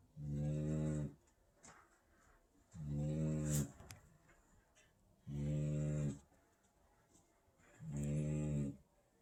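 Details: A Great Dane puppy snores in deep, droning rasps that repeat steadily about every two and a half seconds.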